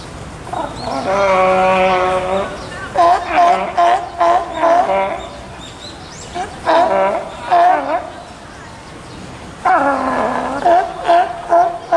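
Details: At Osaka's Tennoji Zoo on 5 July 2014, a California sea lion during nursing of a two-week-old pup born 20 June gives harsh, bleating calls in short repeated bursts, with faint human voices behind.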